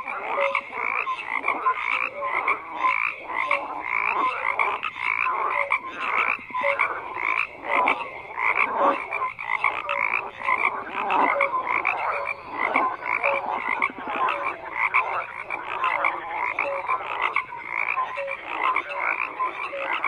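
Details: Frogs croaking as a thick, nearly unbroken chorus, many callers overlapping into a steady grating din with rapid pulses throughout.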